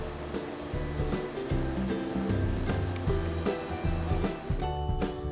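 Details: Steady background music with low sustained tones and a soft rushing wash, with no animal calls.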